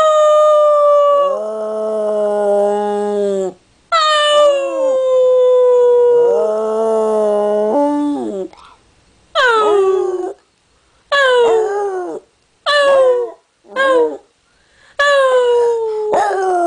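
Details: Dog giving a series of howls: two long sustained ones with high starts falling and flattening out, then shorter sliding howls and yips separated by brief silences, pitch dropping within each note.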